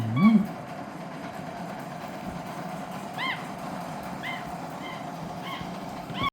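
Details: Capuchin monkey named Lilly eating spaghetti; a low grunt-like sound opens, then a series of about five short, high, arched squeaky calls with rich overtones spaced roughly a second apart over a steady low background hum.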